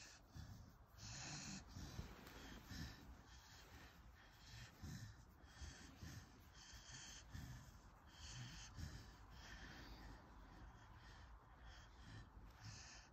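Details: Corgi breathing while receiving a massage; soft, quiet snorting huffs repeat roughly once a second, each a brief breathy burst, over a low rumbling background.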